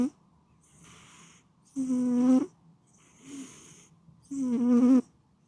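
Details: Domestic cat snoring while asleep: loud buzzy nasal snores on each in-breath, about every two and a half seconds, with soft airy hissing out-breaths between them. The room is otherwise quiet.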